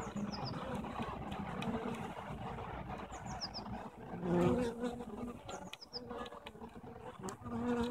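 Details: Honey bees at a hive on 21 April 2015, the day after eggs for three queens were placed inside: a low, steady humming drone with a swell midway, while small birds chirp in short high bursts in the background.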